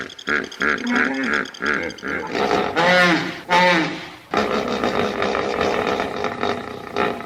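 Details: Hippopotamus calling: a run of short, deep, harmonic grunting pulses, then two loud wheezing honks in quick succession, ending in a long rough rumbling bellow.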